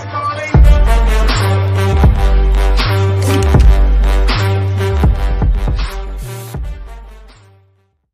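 A heavy, bass-driven hip hop beat with steady pounding drums fades out near the end, with no animal voice heard.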